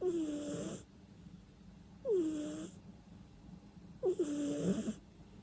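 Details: Domestic cat asleep, snoring and breathing noisily through its nose, with no background music: three wheezy snores about two seconds apart, each a nasal tone sliding downward over an airy hiss, with near silence between breaths.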